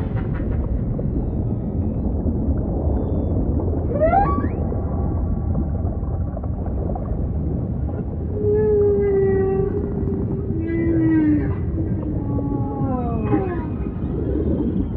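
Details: Singing humpback whale delivering a sharp rising whoop, then long sliding moans that glide downward, followed by a run of descending harmonic notes, all against a steady low ocean rumble.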